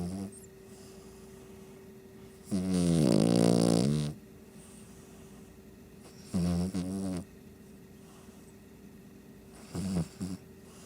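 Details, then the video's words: A Shih Tzu snores while asleep: three loud, buzzy, rattling snores, a long one of about a second and a half followed by two shorter ones, separated by quiet breathing. "Shih Tzu snoring"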